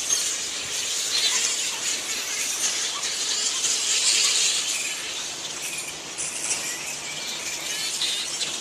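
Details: Giant fruit bat (flying fox) colony at Lansvale in Sydney, a dense, unbroken wash of high-pitched squeals, chatter and screeches from many animals at once, swelling slightly around the middle, with no pauses.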